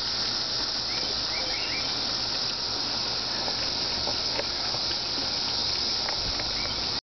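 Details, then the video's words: Cicada droning in a continuous, even, high buzz for the whole stretch, with a few faint short chirps, likely from birds, and scattered light ticks over it before it cuts off abruptly at the end. "cicada part 1"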